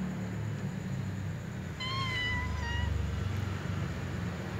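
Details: Little cat meowing while a ginger cat eats a meatball, hoping to snatch the food; one steady, level meow lasting about a second over a low humming background.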